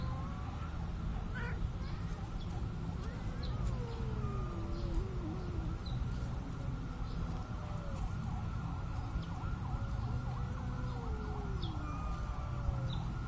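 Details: Shy cats mating in a park, hidden among plants: long, drawn-out wavering yowls that rise and fall in pitch, sliding through several slow bends, over a steady low background rumble.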